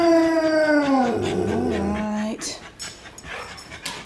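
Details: Puppies at dinnertime, excited for supper: a dog gives a long howl that starts high and slides down into a wavering, yodelling whine, ending after about two seconds, with a person talking and household noise afterwards.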